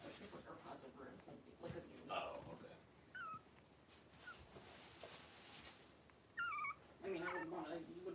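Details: Five 3-week-old blenheim Cavalier King Charles Spaniel puppies wrestling and playing in a home puppy pen, born at New Year's; high, thin squealing whimpers rise and fall near three seconds and again around six to seven seconds, with voices talking underneath.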